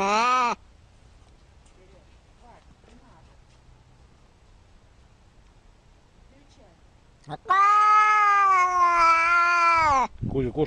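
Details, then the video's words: Cat meowing: a meow ends at the start, then a long quiet gap with faint background noise, followed by a loud sustained meow of about two and a half seconds and the start of another. "very funny cat meows"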